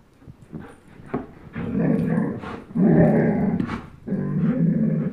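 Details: Low, rumbling growls from a 10.5-month-old German Shepherd named Chase and a one-year-old Old English Sheepdog named Blizzard playing tug of war indoors; three long growl bursts, each swelling louder, with short breaks between them.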